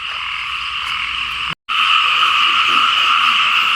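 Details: Frogs calling en masse in Lao fields after rain, a loud continuous croaking chorus briefly cut by a moment of silence midway, then resuming just as dense.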